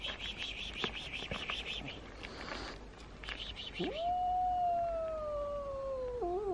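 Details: Domestic cats, one a small two-year-old that is scared of loud noises, meeting a very large cat: a soft rhythmic pulsing sound, then one long, steady, slightly falling meow ending in a short wobble.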